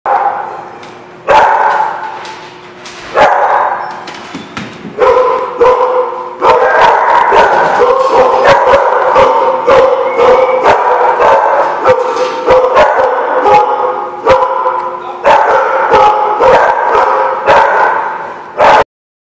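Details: Several dogs in a barking lot, recorded 18 January 2016, bark and yap almost continuously in a loud, overlapping chorus, with only a few brief breaks before it stops abruptly.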